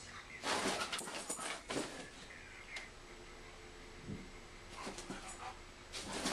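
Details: German Shepherd versus Siberian Husky in play: clustered growls and yips at the start and end, a quieter stretch with scuffling in between.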